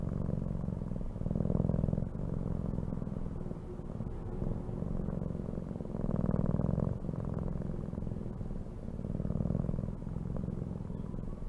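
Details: A cat purrs in a low, rhythmic rumble, louder on alternate breaths roughly every one and a half to two seconds, continuing throughout with faint clicks.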